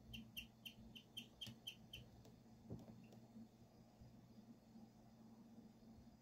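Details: Pet guinea pig Emma chirps birdlike in a phone recording: about eight quick, high, evenly spaced chirps over the first two seconds, then the sound stops, leaving only a faint steady room hum.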